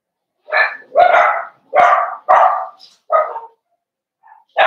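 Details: Barking in a home puppy pen, where Cavalier King Charles Spaniel puppies are socialized with the household's larger dogs on 12/13/22: five loud, rough barks about half a second apart, a faint yip, then another bark starting.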